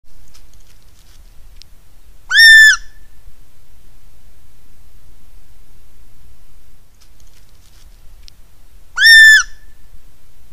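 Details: At night in the Angeles National Forest, a gray fox gives two loud, high, arched yelps about seven seconds apart; the foxes are believed to be communicating with one another.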